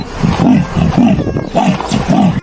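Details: Leopard, one of the cat family's distinctive voices: deep, rasping grunts repeated in a steady sawing rhythm about twice per second, each a low hoarse stroke.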